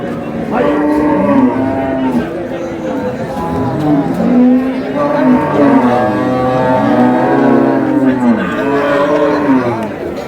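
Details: Cows with calves at Ambari market (Amber haat), Dinajpur, Bangladesh, March 6, 2026: many overlapping harmonic moos, rising and falling, several callers at once over a murmur of crowd noise.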